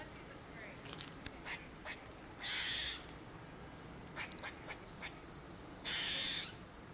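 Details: Squirrel calling: scattered short sharp chucks plus two longer harsh, hoarse, noisy calls about three seconds apart, each lasting around half a second, over a quiet steady background hiss.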